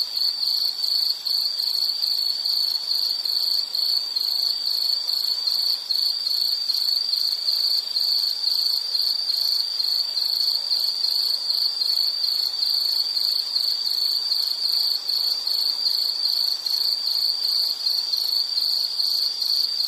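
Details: Long stretch of insect calling from a nature sound recording: a sustained, piercing high trill of rapid pulses at steady loudness throughout, forming a dense, even buzz with no other clear sounds.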